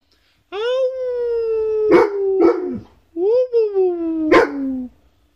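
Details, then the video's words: An Alaskan Malamute gives two long, wavering howls that rise briefly and then slide slowly downward, in a howling exchange with a person. "Alaskan Malamute howling conversation"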